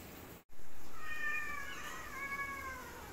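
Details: A black cat squaring up to fight a white cat gives a drawn-out, wavering meow, rising slightly, then sliding down and fading over about two seconds, with steady background hiss.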